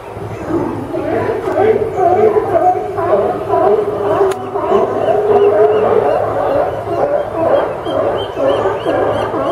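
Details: Sea lions crowded on the Newport Sea Lion Docks at the Port of Newport, Yaquina Bay, Oregon, on September 20, 2015, keep up a dense, overlapping chorus of hoarse barks with long, sustained honking tones in the middle.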